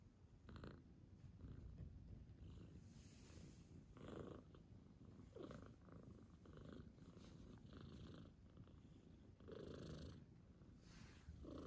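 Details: Father cat purring beside his kitten: a continuous low rumbling purr with breathy swells about every one to two seconds, quiet and steady throughout.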